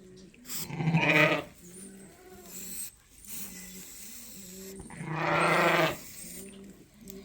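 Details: Sheep in a lambing pen at Ewetopia Farms, a ewe with her freshly tagged twin lambs being marked with numbers; two loud, harsh bleats about four seconds apart, with steady cooing in the background.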